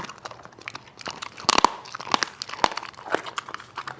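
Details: Dog chewing food indoors in a small room, giving rapid dry crunches and tearing bites roughly twice per second. A loud cluster of crunches falls midway.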